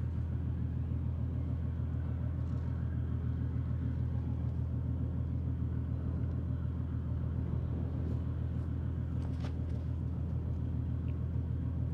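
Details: Steady low engine rumble of an idling vehicle outdoors, with a few faint clicks and no animal sounds.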